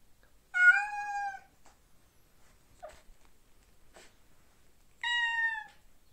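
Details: Male domestic cat mourning for his girlfriend and calling for her, wanting to get to her: two drawn-out, steady, harmonic-rich meows about four seconds apart, with a faint brief sound between them in a quiet setting.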